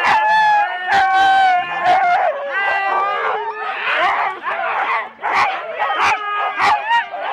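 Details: Husky teams of four dogs waiting at a sled race start in Rendlesham, January 2016, analogue cassette recording: continuous overlapping whines, yips and howl-like barks from many dogs, with sudden loud bark bursts breaking through the excited din.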